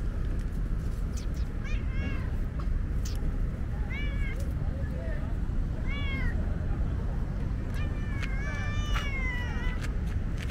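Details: Thirsty female tabby cat on a hot day, very vocal while wanting a drink; several clear bent meows about every two seconds, the last one longer and wavering, over constant low background rumble.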